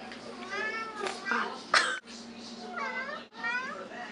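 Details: Cat meowing indoors: several drawn-out harmonic meows, some rising then falling, with a sharp click near the middle and brief human speech nearby.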